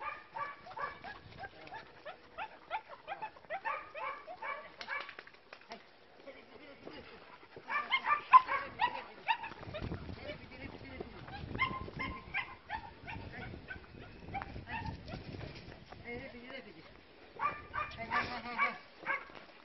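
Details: Bicolour and black German Shepherd puppies of a short-haired working line give bursts of shrill, harmonic whimpers and squeals in clustered runs, with a person's voice and low handling noise in between.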